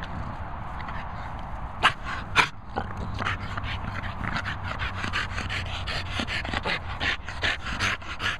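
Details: Two Staffordshire Bull Terriers, Izzy and Jimmy, breathing in quick breathy bursts that start loose and settle into a fast, steady panting rhythm. Two louder sharp sounds stand out near the start, over a low background rumble.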